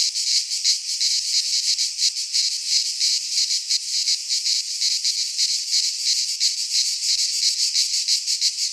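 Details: Many cicadas sing together in a Greek pine forest in midsummer. A harsh, high, sizzling buzz swells and dips in quick regular pulses, roughly three per second.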